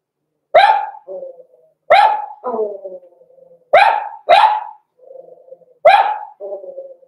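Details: Blenheim Cavalier King Charles Spaniel puppies Roman and Blue, six weeks old, in their home puppy pen; six shrill barks, each trailing into a lower, fading yelp or whine, repeated about every second.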